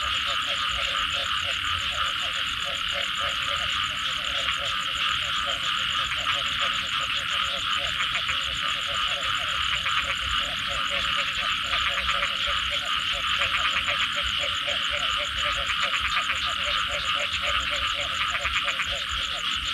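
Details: Frogs croaking after rain in a thick chorus, fast irregular pulses running through the whole stretch, with a loud continuous high buzzing layer above.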